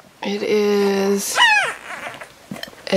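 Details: Maya, a female Siberian Husky–Alaskan Malamute hybrid, screams indoors while struggling to give birth to her first puppy: a steady low harmonic moan lasting about a second, then a sharp high cry sliding steeply downward, followed by faint human voices.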